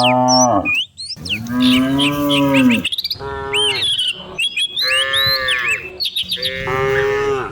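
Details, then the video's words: Dozens of cows being herded down a hill in the morning through the countryside, giving long harmonic moos, some rising then falling, with sharp bird chirps and whistles overhead. "Herding dozens of cows down the hill every morning, cow sounds"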